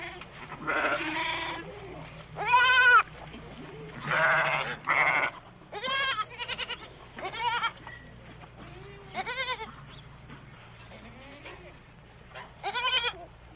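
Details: Goat giving about a dozen wavering, nasal bleats at irregular intervals. Some are short and tremulous, others longer and harsher, and a few overlap as if from more than one animal, over a low steady hum.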